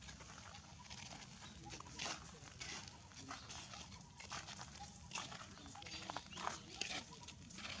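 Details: Baby monkey crying while its mother drags it along the ground, back rubbing the dirt; short scattered squeaky cries rise over a constant rough background hiss, with occasional scuffs and clicks.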